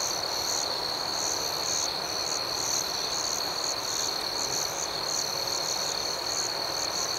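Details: Crickets in the night: a dense, even chorus of shrill pulsed chirps over a constant high ringing trill, with no other sounds.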